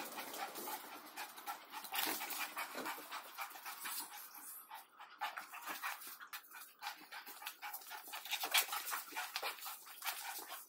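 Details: Rottweiler panting during play, a steady stream of fast, breathy, rasping bursts with no pauses.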